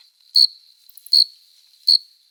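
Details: Summer night cricket song from an adult male courting a female by rubbing its forewings: three crisp chirps spaced about three-quarters of a second apart over a faint steady ring.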